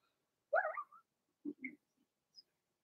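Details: Blenheim Cavalier King Charles Spaniel puppies from Remy's first litter of six, two females and four males, in an indoor puppy pen during potty training. A rising-and-falling whine, then a couple of short low grunts and faint squeaks.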